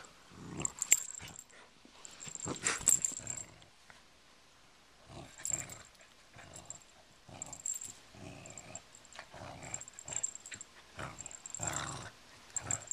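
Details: Honey, a female pet dog, growling playfully indoors while tugging on a pull toy; bursts of low rumbling growls come in uneven spurts with short pauses, mixed with rustling and jingling of the toy.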